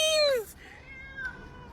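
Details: Pet cat approaching people, wanting interaction; one loud meow that slides downward in pitch, followed by a softer drawn-out tone, with a person talking to it nearby.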